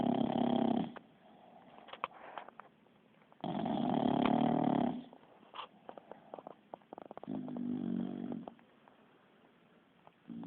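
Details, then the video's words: Kiára, a Bulldog snoring while asleep, gives two loud, grating snores followed by a softer, lower third one, each separated by quiet stretches with light clicking sounds. "Bull Dog roncando"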